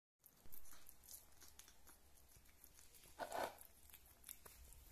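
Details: Rita, a female kitten and keen eater, eating meat or drinking milk; soft moist chewing clicks with a louder crunchy, wet burst about two thirds of the way through, otherwise quiet.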